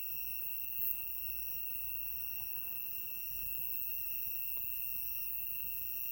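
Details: Insect chorus in Shimokawa, Kamikawa District, Hokkaido, Japan, on 5 September 2020: an unbroken, high-pitched ringing tone holds steady throughout, with a fainter, even higher whine above it and soft low rumbling.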